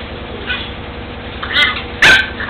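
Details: Seven-week-old sibling puppies at rough play in a puppy enclosure give two quick high-pitched yelps, the second louder and sharper, with a constant low hum running beneath.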